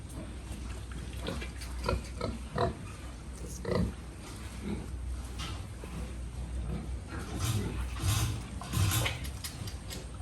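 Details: A pig-farm recording holds a run of short, deep, repeated grunts every second or so, some with a throaty tonal ring, over steady low farm hum.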